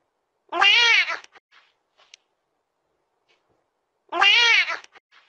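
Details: Domestic cat giving two drawn-out, wavering meows about three and a half seconds apart, each followed by soft small clicks, in a quiet setting.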